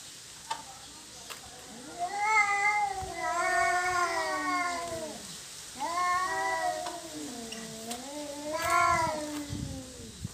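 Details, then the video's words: Cats fighting over territory, later making peace: three loud bouts of harmonic yowling, each swelling and bending downward, with low growling moans between them and occasional clicks in the background. "Kucing Berantem Rebutan Wilayah"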